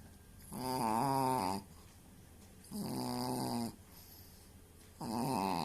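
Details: Pet dog making a snore-like voice that sounds like an old man while falling asleep indoors: three drawn-out, moaning harmonic snores of about a second each, with quiet pauses between them.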